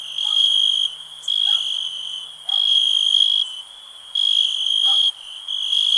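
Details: Relaxing night-style ambience of a cricket: loud high-pitched trilled pulses alternating with softer stretches, plus brief faint lower chirps scattered between them.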